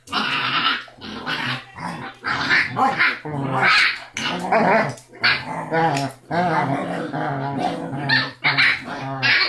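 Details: Rocky, a tough six-week-old Basset Hound puppy, the loudest of his siblings, lets out a continuous run of raspy growls and yapping barks with hardly a pause, over a low indoor hum.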